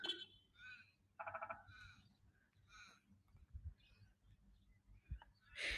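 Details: A very loud frog, thought to be hidden in vegetation below, gives short, pulsed, throaty croaks amid other chirps and a low rumble, beside the painted grain silos in Portland, Australia.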